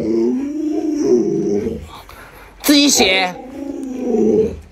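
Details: Luoluo, a pet Alaskan Malamute, voices low, wavering growl-like moans indoors while the owner stays in bed late in the morning. Two drawn-out rumbling phrases frame a short burst of human speech in a small room.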